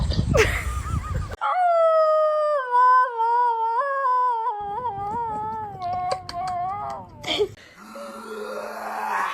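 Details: Dog giving a long, drawn-out howl lasting several seconds, steady then gently wavering and slowly falling, with a short noisy burst before it and muffled sounds after.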